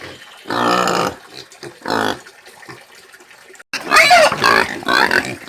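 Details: A free-range (caipira) pig gives two harsh, drawn-out grunting squeals, then breaks into loud, shrill screaming.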